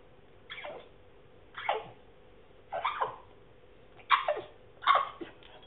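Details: Male French Bulldog attempting to bark, producing funny noises; five breathy, descending grunting woofs about one second apart over a low steady hum.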